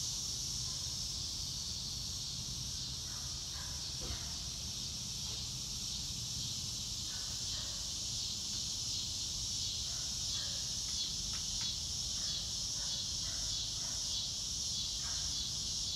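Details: Chorus of crickets in natural surroundings under a blue sky: a continuous shrill high trill, with scattered short bird chirps breaking through at mid pitch and faint low background rumble.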